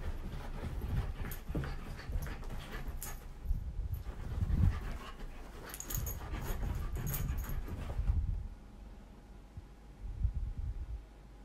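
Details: A corgi throwing a tantrum: breathy, grumbling whines and yelping bursts with panting for about eight seconds, then near quiet with a couple of soft low huffs.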